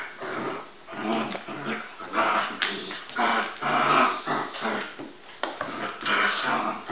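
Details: Two dogs, Bowser and Canela, fighting: steady deep snarling growls in repeated loud bursts of about half a second, broken by a few sharp yips and whines.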